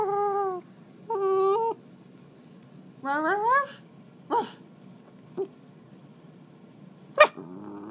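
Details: An eight-month-old Shiba Inu vocalising indoors: drawn-out harmonic whines and rising yodel-like howls, each under a second, separated by short sharp yips and clicks.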